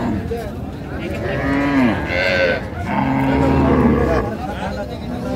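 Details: Moos from cows with calves for sale at Raniganj market, Dinajpur, Bangladesh, 8 May 2025: two sustained lowing calls with rising then falling pitch, one around two seconds in and another near four, over a noisy crowd of talking people.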